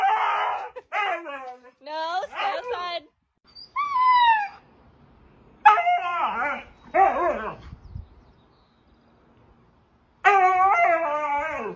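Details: Excited Siberian Husky producing a run of harmonic, howl-like 'talking' calls, some rapid and wavering, others sliding downward, in bursts of one to two seconds with quiet gaps between them.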